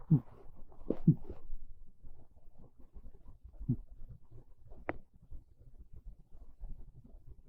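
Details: Pet cat Monta dozing on a bed on a chilly, rainy afternoon, giving gentle, modest snores: a few low, breathy rasps close together early on, then sparse quieter breaths in a still room.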